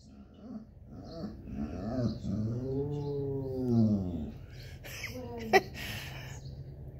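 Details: A male Basset Hound, sad while waiting for the grandkids and missing his bulldog companion, gives a deep, drawn-out howl that swells and bends downward, rich with harmonics.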